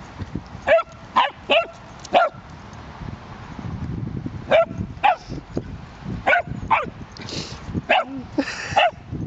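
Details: Small Cavalier King Charles Spaniel playing in a park with another dog; a run of short, sharp yapping barks, a dozen or so in bursts, some in quick pairs, with a woman talking softly between them.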